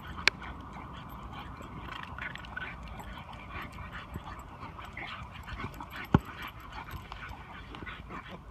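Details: Two puppies, a Chinese Shar Pei and a French Bulldog, play-fighting: a steady rough, low growling texture runs throughout, broken by short sharp yips, with a person talking nearby.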